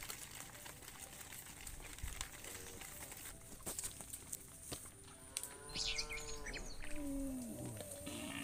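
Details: Herd of cows being led through a muddy rice field to the livestock pen; after several seconds of rustling and distant noise, one long harmonic moo rises and then bends downward, with a steady high insect hiss behind.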